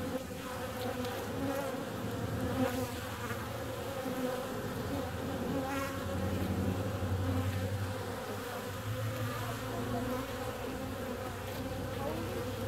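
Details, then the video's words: Bees flying out during warm February weather, their constant buzzing hum joined by a deeper, steadier drone underneath that strengthens in the middle and later part. "Bee's out on a warm February day."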